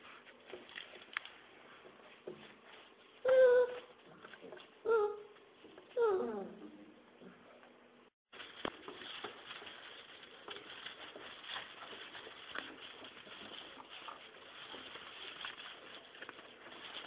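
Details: Five-week-old Serbian Mastiff x German Boxer puppies: three loud, drawn-out whining yelps that slide downward in pitch, a couple of seconds apart, then a break and a long stretch of quiet room noise.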